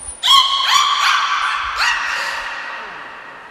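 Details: Niko, a beluga at Port of Nagoya Public Aquarium in Japan, in training on 25 February 2024: a thin high tone, then four quick pulsed harmonic squawks that merge into a long fading buzzy tail.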